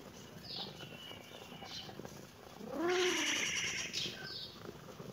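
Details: Kitten meowing in reaction to seeing the camera: one clear, rising-then-falling meow near the middle, preceded by faint high chirping in the background.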